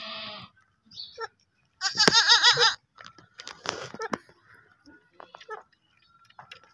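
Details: Baby goats bleating: a short breathy bleat, then a loud quavering bleat near the middle, followed by scattered clicks, rustles and faint voices.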